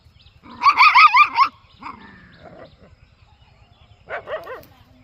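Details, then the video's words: Puppy and dog in peaceful village surroundings. A quick run of high, wavering yelps lasts nearly a second, then softer short sounds follow, and a brief final burst of yelps comes near the end. A constant low ticking sits in the background. "Cute Puppy Funny 🤣 Satisfying Sound campair with Dog in peaceful village life"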